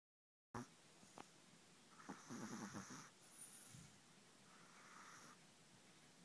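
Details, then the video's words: Pet dog snoring in his sleep: a sharp snort early on, then a rasping, buzzy snore of several quick pulses lasting about a second, followed by softer, breathy exhales fading into a quiet indoor background. "My dog is snoring in his sleep."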